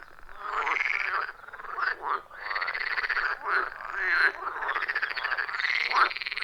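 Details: Chorus of frogs around a wild pond deep in the forest, captured with iPhone 14 Pro and Shure MV88+; continuous rasping croaks with brief upswept notes, many callers overlapping throughout.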